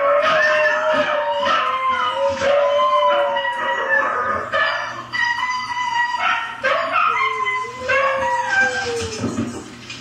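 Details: Pet dog Hailey sings along to husky howling: short rising-and-falling howls follow one another quickly, mixed with yips, then a longer descending howl near the end.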